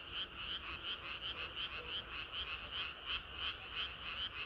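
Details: Frogs chorusing through a hot summer night, evenly spaced croaks pulsing about three times per second over a faint background of other callers.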